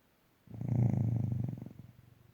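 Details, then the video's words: A sleeping dog snoring while snoozing: one low, rumbling, rattling breath drawn out for about a second, with a pulsing texture that fades off gradually into quiet. "Snoring dog"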